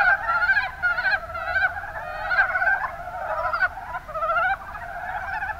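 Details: Mountain brown frogs in the Kuma Basin, Kumamoto, Japan: many overlapping calls, each a quick series of rasping, pulsed croaks. The bursts rise and fall in loudness, with short pauses every second or so.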